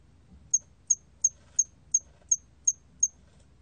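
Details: ['Hairy cricket chirping: eight short, high, pure chirps about three per second, evenly spaced, over a quiet low hum.']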